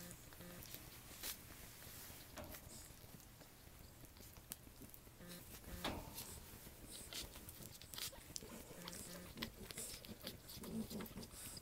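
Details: Newborn French Bulldog puppies, litter of Anais and Hobbit born October 29, 2011, tired and falling asleep indoors; soft low grunting squeaks come in short clusters amid faint rustling and clicking in a quiet small room.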